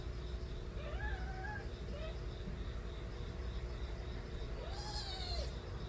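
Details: Stray kittens, the young of a cat named Nabi, crying loudly: a few rising-falling mewing cries with clear overtones, one near the start, a short one mid-way and a longer arched cry near the end, over steady low rumbling background noise.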